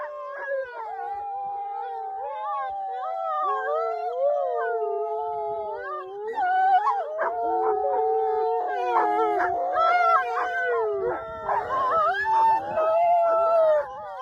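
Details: A pack of wolves howls in chorus, with long wavering tones woven together and sharp yips and broken yelps growing denser toward the middle and end.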